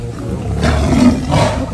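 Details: A Siberian tiger (Panthera tigris altaica) gives two deep, rasping angry roars in quick succession after being ambushed by another tiger, heard from about one metre away behind a wire fence.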